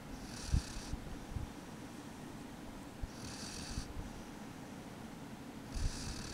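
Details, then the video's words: A sleeping pet dog snoring: a steady low rumble under soft hissing exhalations that come roughly every two and a half seconds, with a few faint clicks in a quiet room. "dog snore"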